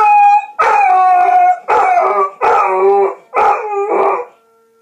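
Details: A dog named Adpen howls along with a siren, in five strong wavering harmonic howls lasting under a second each, sliding downward, with short breaks between them.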